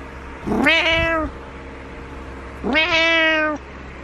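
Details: Butters, a domestic cat, meows insistently at the owner in the morning to wake them: two loud, rich, sustained meows roughly two seconds apart, with a soft thump and low background hum.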